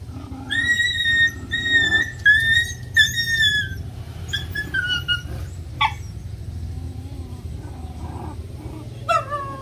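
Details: During puppy playtime, high thin whistled whines repeat roughly once a second for four seconds, then give way to scattered falling squeaks and a last sliding whimper over a constant low hum.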